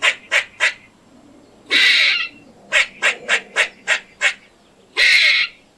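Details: A squirrel gives quick, harsh, high barks in runs of three and seven, broken by two longer, raspy, strained squeals. These are alarm or distress calls, made when fighting or to warn other squirrels of a predator.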